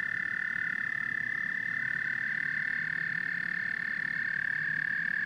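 A dense frog chorus: many voices blend into a steady, high, pulsing trill that never pauses.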